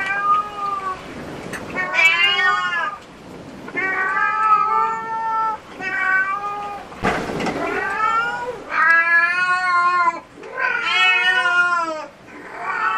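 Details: Cats at a cat cafe, among them a black cat with a disability named Su-kun and a pale cat called Hoa with black markings: a string of loud, drawn-out harmonic meows, some rising then falling, repeated roughly every second or two.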